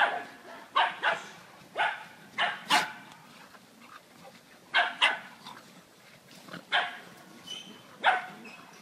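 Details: Beagle named Shiny barking while playing: a run of about ten short, sharp barks, roughly one per second, some louder than others, in a quiet indoor setting.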